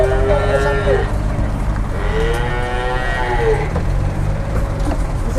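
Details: Cattle just arrived by truck in Indonesia, among them a jumbo-sized animal. Two deep moos are heard: a short one at the start, then a longer, gently arching one, both over steady engine rumble.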